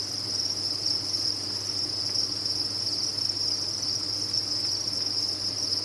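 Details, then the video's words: Many crickets on a cricket farm produce a constant piercing chirping drone, uniform in pitch and loudness, over a low steady hum. "Sound of a Cricket Farm"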